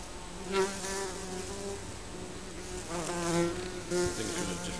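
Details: Honey bees from a colony living under a garden shed, flying close by: several overlapping low droning buzzes that swell and fade as individual bees pass, with loud passes near the start, middle and end.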